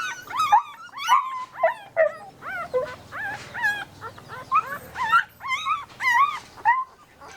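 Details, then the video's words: Puppy whining almost nonstop, roughly two quavering high squeals a second, each bending up then dropping, with sharper yips scattered among them. "familiar cut dog, puppy sound effect"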